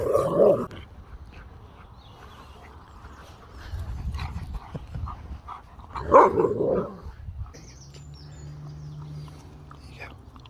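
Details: Siberian husky at a drive-thru howling at the staff, wanting a puppuccino: two loud drawn-out vocal bursts with a quieter moan between, then a low engine-like hum at the end.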